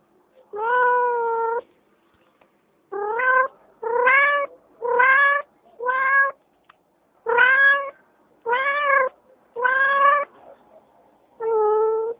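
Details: A domestic cat mewing repeatedly, about ten drawn-out, tonal meows roughly one per second, each slightly arched in pitch, with a quiet background between calls.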